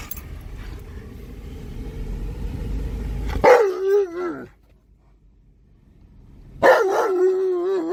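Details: Tonka, an Alaskan Malamute, howling excitedly in a car during a drive around a park; two wavering, wobbling howls separated by a silent pause, after a stretch of engine rumble.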